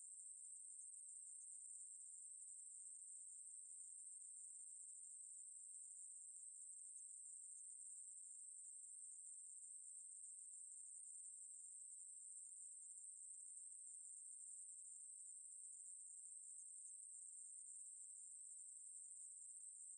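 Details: Ruspolia katydid recorded by the National Institute of Biological Resources in 2020, producing a nonstop, piercing high buzz with slight flickers in texture but no gaps; quiet otherwise.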